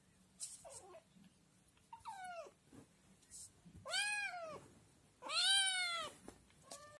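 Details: Scottish Fold kitten, still nursing from its mother, crying loudly indoors for food after seeing yogurt: a series of rising-falling meows, the last two long, loud and strident, with faint shuffling between calls.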